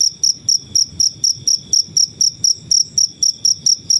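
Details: A natural cricket, recorded as a master sound for cage birds, gives clear shrill chirps in a steady train, about four each second, over a quiet low background.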